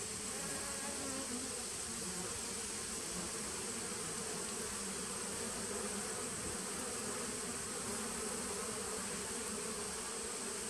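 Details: Dense, continuous droning from honey bees in a nuc established in 2017, recorded 19 September 2018; the hum holds level throughout with no pauses and a broad hiss above it.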